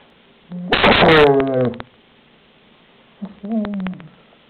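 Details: A German Shepherd named Shelby guarding her toy lets out a sharp, noisy burst that slides into a falling, groaning growl, then a softer wavering grumble follows after a pause of about two seconds.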